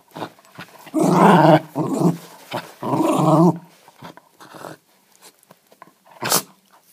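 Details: Westie dog growling during play at home, holding onto its ball rather than giving it up; long rumbling growl bursts near the start and middle, then quieter snuffles and a sharp click near the end.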